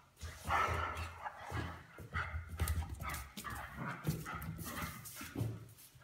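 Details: Weimaraners: a patient adult Weimaraner is driven mad by a puppy, with low, rumbling growls broken by short yips and whimpers.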